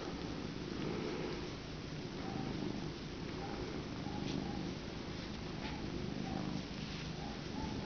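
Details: Domestic cat named Fluff purring steadily on a lap, a continuous low rumbling throb with a rhythmic pulse through the whole stretch, faint soft tones above, no other voices.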